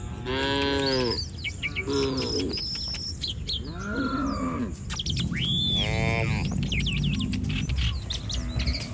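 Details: Cattle herd roaming a village street, several overlapping moos with rich harmonic stacks, some rising and falling, heard alongside chirping birds and steady low rumble of background noise.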